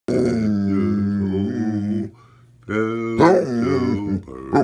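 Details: A basset hound sings along to a Christmas carol, giving long, low, wavering howls that rise and fall in drawn-out notes.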